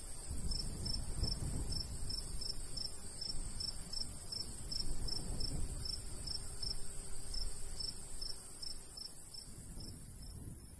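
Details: Crickets in summertime countryside by a golden wheat field, light breeze blowing. Crisp high chirps pulse evenly about three times a second over a steady high drone, while gusts of wind swell and fade in the low range.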